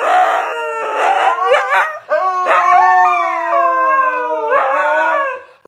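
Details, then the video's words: Husky 'talking' back in drawn-out, modulated howls and yowls, several rising and sliding phrases over five seconds after being asked who chewed the headset. "Crazy Talking Husky"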